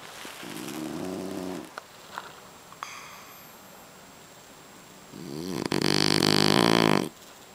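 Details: Napping inside a kotatsu, the French Bulldog Boss snores heavily: a rumbling snore, a quiet gap with small puffs and clicks of breath, then a longer, louder rattling snore.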